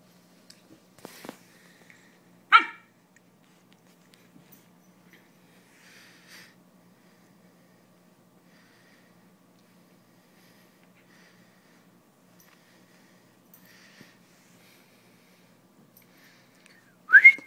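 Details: German Shepherd named Sam playing tug-of-war: two short, sharp high-pitched barks, the first early on and the second about fifteen seconds later, with soft snuffling and breathing noises in the quiet stretch between.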